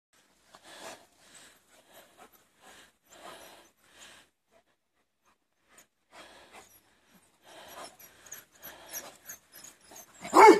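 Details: Four Labrador Retriever puppies outdoors, soft breathy panting in short irregular bursts with quiet gaps, growing busier toward the end and closing with one louder, sharper burst.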